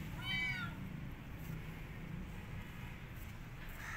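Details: Kitten rescued from the street, refusing to eat and wanting to go back outside, lets out a single brief, bright meow with a falling tail, followed by quiet room hum.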